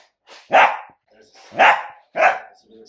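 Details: Three loud, harsh barks from a Dachshund, each a short burst about half a second long, evenly spaced with brief gaps and faint softer sounds between them.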